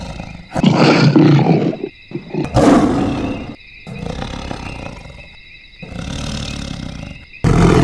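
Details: Lions at Savuti in northern Botswana, an area known for its lions and their battles with hyenas: harsh, rasping growls and snarls in short bursts with gaps between them, over steady sustained musical tones.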